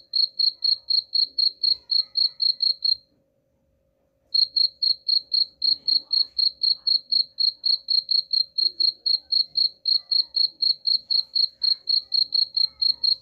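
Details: Chirping of a cricket, used as a rat repellent. A brisk, even train of high pulses about four per second breaks off for just over a second, then resumes and runs steadily to the end.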